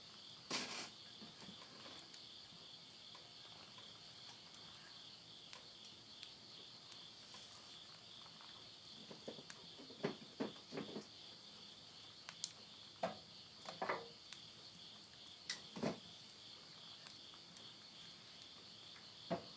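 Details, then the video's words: A midnight insect chorus at summer's end in countryside Tottori, Japan, September 2020: a constant high trill runs beneath frequent loud snaps and crackles of burning wood in a stove, which come in irregular bursts. "mid night the voice of insects"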